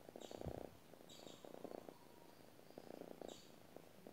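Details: A domestic cat purring while it sleeps: soft, pulsed rumbling in bursts of about half a second, each followed by a short pause, with faint higher hissing breaths between them.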